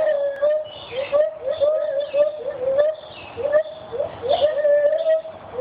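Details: Captive white-handed gibbon family, parents and baby, vocalizing at a teaching zoo in Santa Fe: repeated rising, hooting whoops that swoop upward and sometimes hold a steady note, overlapping in a lively chorus.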